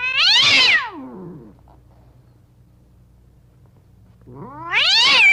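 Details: Pair of angry caged cats letting out loud, harsh screeches that rise and then fall steeply, two bursts separated by about three seconds of near quiet.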